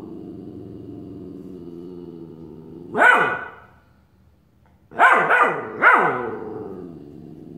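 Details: Young Australian Shepherd, a puppy, barks at his reflection in a mirror: one loud bark near three seconds, then a rapid cluster of three, over a low steady background hum.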